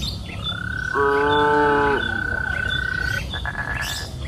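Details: A cow on a green pasture hill in the afternoon utters one full, harmonic moo of about a second, overlapping a long, steady, high whistled tone, with faint chirping around.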